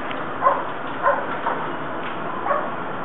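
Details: Dogs barking at the North End Avenue Dog Park in Battery Park City, recorded from a closed bedroom behind a double-pane window: muffled, distant barks about every half second, over a steady hum of city noise.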